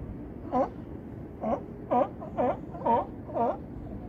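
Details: Barking California sea lions in Crescent City harbor near Battery Point lighthouse: six rough, harmonic barks at roughly two per second, each a brief honking burst, against low steady background noise.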